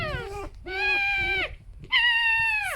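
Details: Two indoor pet foxes rescued from a fur farm share a den, their harmless vocal exchange heard as two long, steady, whining squeals with rich overtones, each ending in a downward slide, separated by a short pause.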